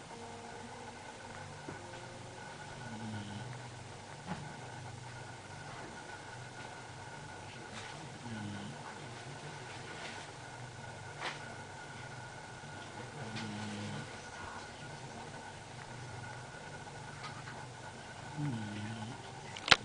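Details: Larry, a Basenji, snoring in his sleep: soft, low, nasal rasps return roughly every five seconds over a faint steady hum, with a few sharp clicks scattered through.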